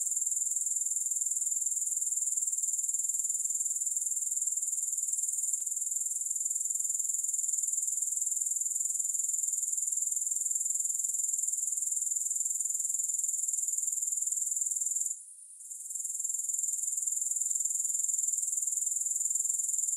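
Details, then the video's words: Unbroken high-pitched buzz of grasshoppers with a fast, fine pulse, steady in loudness throughout except for one short dip in the final quarter; no other sounds. "3 Hours of Grass Hopper Sounds"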